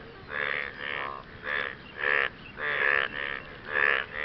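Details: After rain, frogs call to attract partners: buzzy, pulsed croaks of about half a second, coming roughly every half second to second in an uneven rhythm, with one caller louder than the others.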